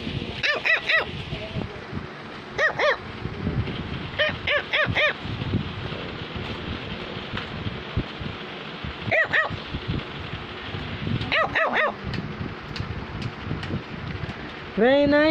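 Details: Cavalier King Charles Spaniel barking to tell its owner something: sharp, bright barks in short bursts of two or three, spread across the stretch with pauses between, over a steady background hum and a rising whine at the end.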